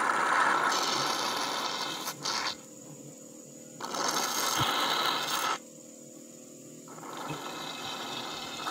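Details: Bursts of broadband scraping, rasping work noise alternate with quieter stretches, and no animal call stands out.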